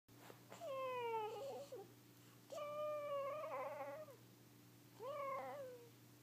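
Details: Pet cat dreaming indoors lets out three long, wavering meows, each clear and tonal with a downward slide, about two seconds apart, over a steady low electrical hum.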